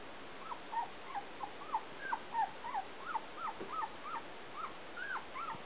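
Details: Young Pointers at Wild Apple Kennel, 2011, whimper continuously: a rapid run of about fifteen short, bent, squeaky yelps, roughly three each second, overlapping unevenly as several puppies cry at once over faint background hiss.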